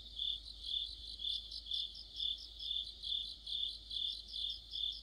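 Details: Mid-autumn insect chorus led by crickets, near a street lamp: shrill, high chirps pulsing about twice a second over a constant bright trill, quiet background otherwise.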